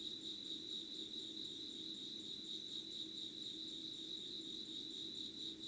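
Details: Unbroken high insect trilling at 5:00 on 25 August 2019 in a candlelit setting, softly wavering in loudness with a dense ringing texture, a quiet low hum running beneath.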